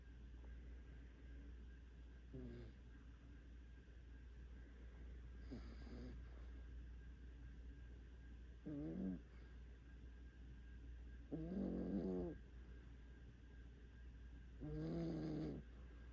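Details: Five-month-old puppy snoring in deep sleep after a walk: low, buzzy snores with a vibrating, harmonic quality, each about a second long, five breaths spaced roughly three seconds apart over a steady low hum.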